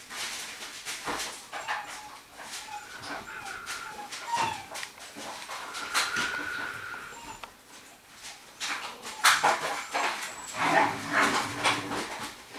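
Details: Rhodesian Ridgeback puppies from the Makao Line kennel, born 9 September 2016, letting out faint, brief whimpers and squeaks scattered through the recording. Heavy rustling and handling noise surround the calls.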